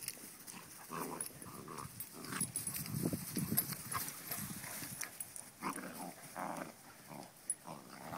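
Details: Basset hound puppy attacking the dominant dog, giving rough, low growls in short bursts with brief pauses between them, over a background of shuffling and scuffling noise.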